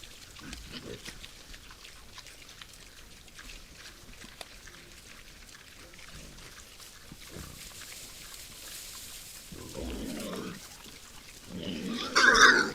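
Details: Wild boars visiting a forest feeding site at night: soft, low grunts scattered through the first seconds, then louder, rough, noisy snorting bursts near the end, against a quiet nocturnal background.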